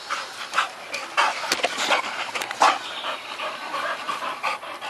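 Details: Olde English Bulldogge panting: quick, breathy, noisy huffs in an uneven rhythm, about eighty-five per minute, some louder bursts, throughout the clip.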